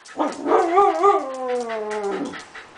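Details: Australian dingo 'talking': a loud, drawn-out tonal yowl that wavers and bends in pitch early, then glides slowly downward over about two seconds with rich harmonics; a person softly repeats a name around it.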